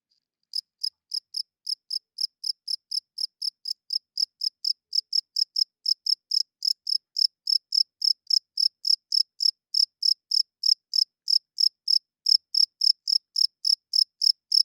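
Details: Loud night chirping of a cricket: an even train of crisp, high-pitched pulsed chirps, around three and a half per second, keeping a regular beat for the whole stretch with a quiet background.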